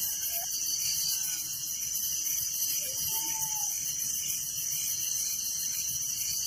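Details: Village crickets at night fill the air with an unbroken, high, rapidly pulsing chorus; only a couple of faint short whistles break through briefly.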